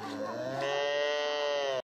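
A calf gives a single drawn-out, nasal moo lasting almost two seconds.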